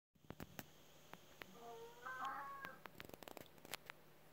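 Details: Pet cat at a sliding door meowing while watching an outdoor rabbit, wanting to go out to it; a few drawn-out harmonic meows, some rising and falling, mixed with sharp clicks and taps against a steady low hum.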